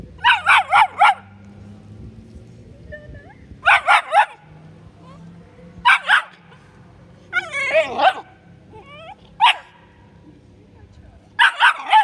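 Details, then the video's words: Bull Terrier puppy barking: bursts of three or four quick, sharp, high barks repeated every couple of seconds, with a whiny wavering yelp midway, over a low indoor hum and faint background voices. "Bull Terrier Puppy Rich wof-wof"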